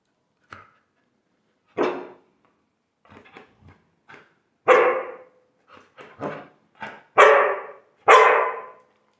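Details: Border Collie barking during training: short, sharp barks spaced irregularly, a few softer huffs between, the loudest barks coming in a quick closing run, with an otherwise quiet background.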